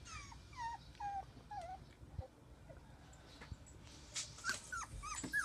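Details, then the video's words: Border Collie puppies, newly born, playing; a run of thin, high whimpers that slide downward, then a burst of short squeaky yelps near the end, over faint background hiss. "My border collie puppies playing"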